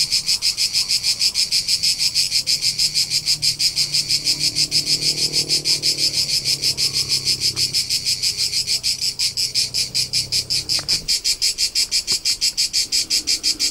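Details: Crickets in the rolling hills of Tuscany, central Italy, chirping steadily in a high rhythmic pulse about three times per second, a low murmur rising and fading underneath and a few sharp clicks late on.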